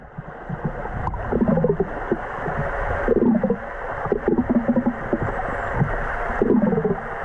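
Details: Underwater in Faroese waters, two female killer whales hunting an eider duck give low, moaning calls with layered overtones about every one to two seconds, over a constant underwater rumble and gurgle.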